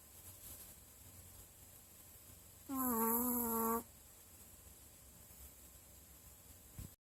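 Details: One steady, reedy snore from a sleeping dog, about a second long with a slight dip in pitch, set against low room noise before and after.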